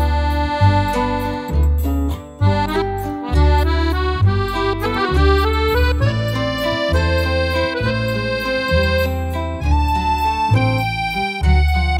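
Accordion music plays throughout, with a steady bass rhythm and no animal sounds.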